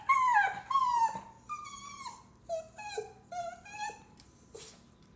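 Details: Dog whining to be let outside in a small room: clear, high, drawn-out whimpers that fall in pitch, several in quick succession, rich in overtones, with a faint background hum.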